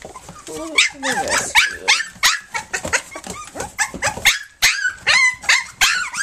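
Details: Flute's puppies, three weeks old, nursing and playing together: a busy stream of short, squeaky whines and yips, many rising or bending in pitch, tumbling over one another with little pause.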